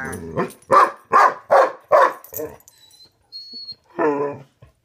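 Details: During hide and seek between Karma the corgi and Thor the pitbull under a bed, five punchy growling barks come in quick succession, then a pause with a faint high squeak and one last muffled growl.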